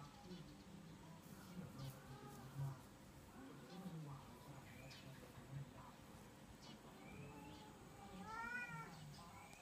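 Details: Domestic cats, one orange and one black, watch from a window as a black-and-white cat walks around the garden. Soft wavering meows are followed near the end by a louder, harmonic-rich meow over low background hum and faint speech.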